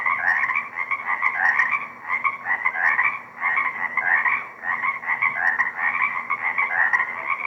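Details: Frogs singing together in a small swamp beside Deer Lake on 4/2/24, shotgun microphone. Overlapping rattling trills pulse in uneven surges about once a second, forming a nearly unbroken buzzy wall of sound with a low background hum.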